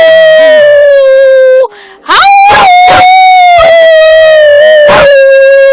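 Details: Pet puppies join their owner in a howling session: long sustained howls, one fading down, then a rising howl held steadily and broken by short, sharp yips and bursts.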